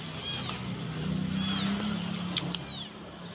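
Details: Abandoned kitten alone in a rubbish bin, meowing, perhaps thirsty, hungry and looking for its mother; thin high arching meows about three times over a man speaking and a steady low hum.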